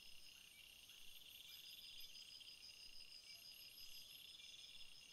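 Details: Field crickets chirping together, several high pulsed trills overlapping into a continuous shimmering chorus, with faint soft clicks underneath.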